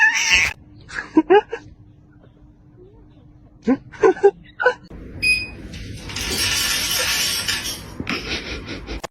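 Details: Pet cat giving a run of short, sharp yowling cries in quick bursts, followed by a longer rough, noisy stretch, with people's voices nearby indoors.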